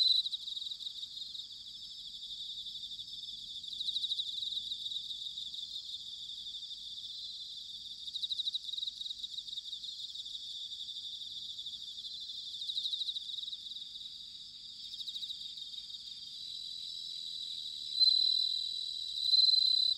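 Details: Bell cricket song recorded in autumn at Sanuki, Chiba Prefecture, Japan: a dense high shimmering trill with bright ringing bursts that swell and fade around 3, 8, 13 and 18 seconds over a steady background insect chorus.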